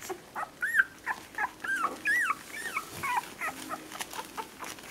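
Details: Orange female whippet puppy, seven days old, one of a litter, 28 April 2018; thin, squealing whimpers that arch upward then drop, uttered about twice a second in short bursts over quiet rustling.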